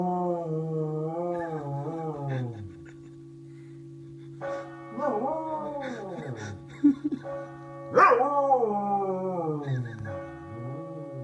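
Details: Dog in Meath howling along with the Angelus bells: long wavering harmonic howls sliding up and down, a rising yelp near the middle, over a steady ringing bell tone throughout.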